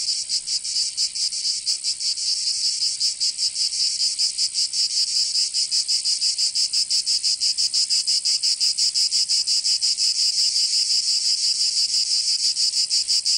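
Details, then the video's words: High, rasping buzz of cicadas in the summer heat of Provence in the south of France, swelling slightly at the start then holding a steady rapid pulsing for the whole stretch. "Canto Cigarra 🦗 [ Escuchar les cigarras en verano 10 H]"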